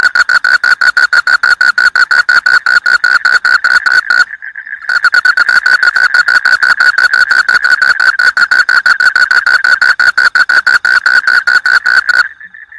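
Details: A frog in a rice field gives a loud, fast, rattling trill of rapid pulses. The trill runs almost without break, pausing once for about half a second before resuming and ending abruptly.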